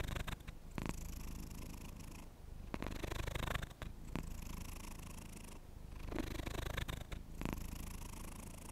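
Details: Close-up purring of a domestic cat, a continuous low rumble broken by several soft brushing or rustling bursts spread through the recording.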